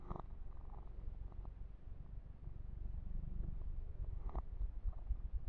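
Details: Yumak the kitten purring through a massage, a constant deep, even rumble with faint fur-rubbing textures and a couple of sharp rustles near the start and end.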